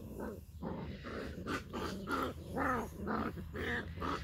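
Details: Seven Labrador Retriever puppies, heard in close-up: a run of short, high, squeaky whimpers and yelps, each rising then falling, coming roughly twice a second over a low steady rumble.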